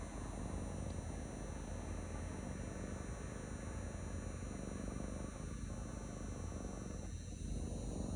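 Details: Male cat purring in a lap: unbroken low throbbing purr, rising and falling gently with each breath, under a constant high electronic whine.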